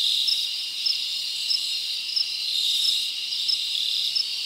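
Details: Summer night crickets in the forest, a steady high-pitched trilling wall with short bright chirps recurring about every half second.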